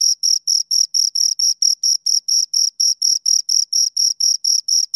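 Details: Two crickets chirping loudly at close range: a steady train of short, bright, high-pitched chirps, about four every second, evenly spaced with clean gaps of silence between them and no other sounds.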